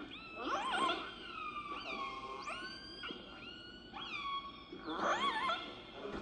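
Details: Killer whales of the A pods off British Columbia give a series of squealing, harmonic stereotyped calls that veer off in pitch at the end, repeated by all individuals in the pod.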